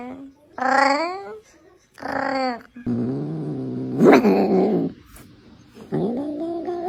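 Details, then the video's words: Brown kitten meowing: two rising, bending meows, then a low rough growling stretch, and a final upward-sliding meow, with voices nearby. "Kitten meowing to attract cats"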